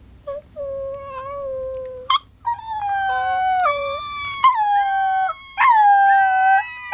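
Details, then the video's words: Miniature Pinscher puppies learning to howl howl together in high, wavering tones, their voices overlapping and sliding in pitch. "Miniature Pinscher Puppies Singing"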